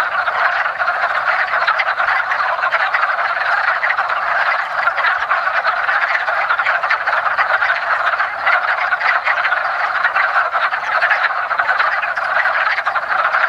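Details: Early-spring mating chorus of wood frogs at a woodland pond: a thick wall of quacking croaks from many frogs at once, steady in loudness from start to finish.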